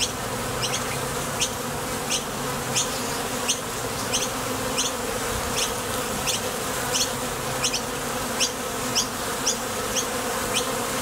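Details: Honey bees flying out to look for nectar and landing back at the entrance of a Top Bar Hive; an unbroken, thick buzzing drone with a steady series of brief high clicks roughly twice a second.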